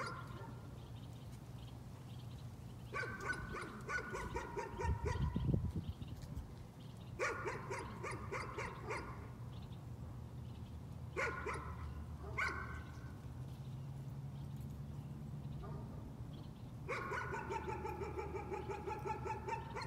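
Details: Nuisance barking from a dog, several short volleys of quick repeated barks spaced a few seconds apart over a constant low mechanical drone.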